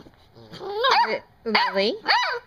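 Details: Seven-week-old puppy Venus, called Blue Girl, talking in a small room: three drawn-out whiny yowls that bend up then down, each about half a second, with a person's soft praise between.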